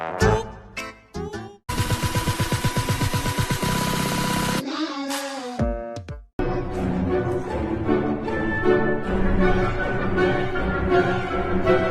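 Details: Loud electronic music with abrupt cuts, a buzzing rapid-fire stretch and brief silences fills the recording, and no animal can be heard.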